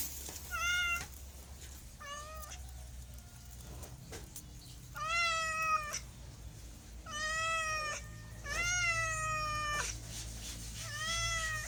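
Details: Cat producing about seven clear meows, short ones at first then longer, bending calls, separated by quiet gaps with a low background hum.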